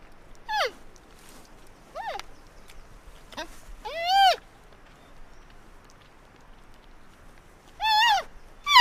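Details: Panda giving a series of short, nasal bleats and squeaks, some falling sharply in pitch, spaced irregularly with longer arched calls near four and eight seconds, against a quiet background.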